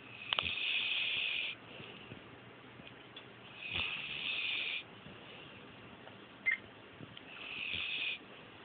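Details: Oakley, a sleeping female pet dog, snores indoors, struggling to breathe well. Long breathy rasping snores rise and fall in three drawn-out episodes, each lasting one to two seconds, with quieter wheezy breathing between them.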